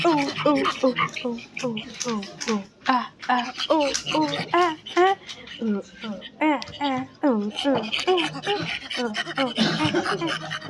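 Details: Silvery gibbon calling: many short hooting notes that swoop up and fall back, tumbling over one another in a rapid, uneven stream, as if several voices overlap.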